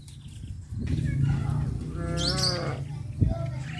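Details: A cow from a village where cattle roam the streets calls once with a rising then falling moo midway through, set against a heavy low rumble and a brief knock near the end.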